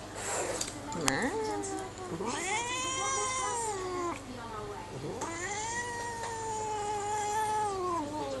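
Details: A cat in a cone lets out loud, prolonged yowling meows. Each cry rises and then sags in a long arch, and two or three come back to back. A male voice talking over game sounds continues faintly behind.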